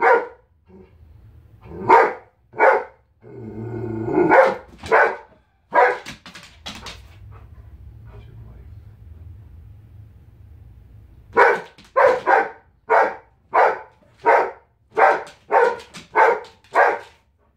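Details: Female Giant Schnauzer, a pet dog indoors, throwing a tantrum after being told to stay out of the kitchen; bursts of sharp, loud barks with a whining growl between them, a long low rumble, then a rapid run of about ten barks.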